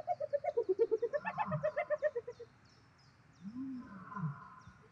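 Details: Spotted hyena in a food fight with lions, South Luangwa National Park, Zambia: a rapid stuttering giggle of about twenty short nasal notes falling then rising in pitch, followed by low moaning growls.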